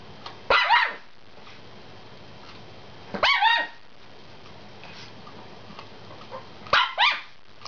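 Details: A Chihuahua gives sharp, high yapping barks in short bursts, begging for the chew a Jack Russell Terrier is eating, even though three chews are out.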